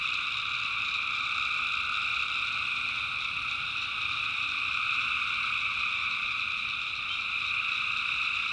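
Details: Personally recorded at night in the North Carolina backwoods, tree frogs fill the air with a steady, unbroken wall of high-pitched trilling from many animals calling together.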